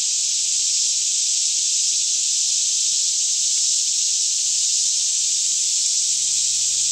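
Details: A daytime cicada chorus surrounds a lush Kentucky woodland near Franklin at about 10am, air fairly still, Canon 5D Mk2 stereo audio; the shrill, seamless insect drone stays uniform and unpulsed across the clip.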